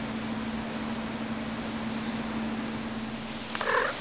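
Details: Six-year-old female Siamese cat named Shilohcat, wanting to play, recorded on 19 April 2016: after a long stretch of steady low hum, one short harmonic meow rises near the end.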